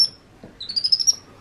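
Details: Baby monkey named Happy, a pet, during playtime in his playroom: one high, thin whistle that rises and wavers in quick pulses for about half a second, with quiet room sound around it.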